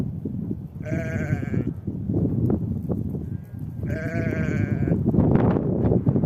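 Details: Spring steppe with a ewe and lamb among the grass. Two drawn-out, quavering bleats, each under a second long, sound about three seconds apart over constant heavy wind noise.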